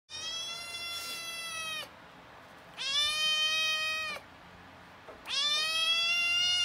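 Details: Rescued young male domestic cat recovering from gastroenteritis after lasting diarrhoea, with repeated vet visits for drips and injections; three long, loud, drawn-out meows, each steady and slightly falling at the end, separated by short pauses.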